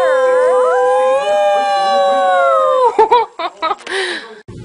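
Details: Puppy holding a long, level, clear howl for about three seconds, breaking into short yips, while a man encourages it with "come on" and "good boy".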